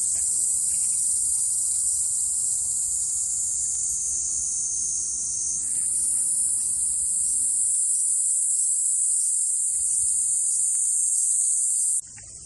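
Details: A dense cicada chorus at Fukuoka Castle Ruins, Japan, in summer, 16 July 2023: an unbroken, shrill sizzling drone that lifts and intensifies midway, holds evenly, then stops suddenly, leaving faint background hum.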